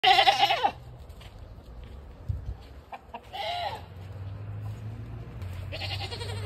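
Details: LaMancha goat, a mother, among farm animals gathered at a homestead's rear garage door hoping for feed; loud wavering harmonic bleats open, then two more drawn-out bleats follow, with chicken clucks and faint farmyard noise between.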